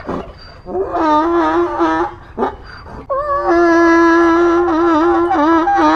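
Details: A donkey's bray: wobbling, reedy honks give way to a noisy intake of breath, then a long, steady, strongly harmonic tone that dips slightly toward the end. No other sounds stand out.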